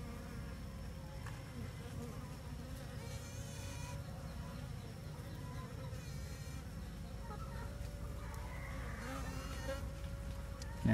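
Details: Asian honey bees (Apis cerana), a swarm newly separated from its parent colony, being handled and moved by a beekeeper; a steady, low, dense droning hum runs throughout, with faint brief higher noises from handling.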